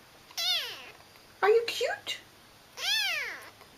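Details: Indoor kitten giving three separate meows, high and arching, with a lower, choppier cry in the middle, a short pause between each, and quiet room background.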